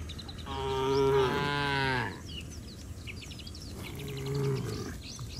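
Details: Tame cattle returning to their pen along a countryside road with their herder; a long, wavering moo of over a second, followed by a shorter, softer low moo after a pause.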